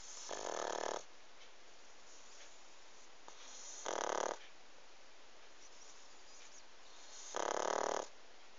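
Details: Snoring pug, loud enough to make sleep impossible: three harsh, rattling snores, each about half a second long, come at intervals of roughly three seconds, with a soft hiss between them.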